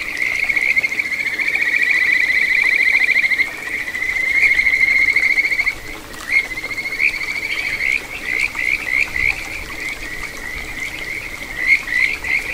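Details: Kajika frog singing from a small satoyama stream in Ichihara, Chiba, Japan, on 9 June 2022: a steady, high, ringing trill with a faint overtone for about three seconds, then a run of short rising, whistled notes over soft stream noise.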